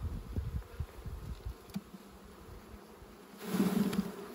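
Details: Bees at a honey harvest, a low drone under bursts of thudding handling noise, the hum swelling louder and brighter near the end.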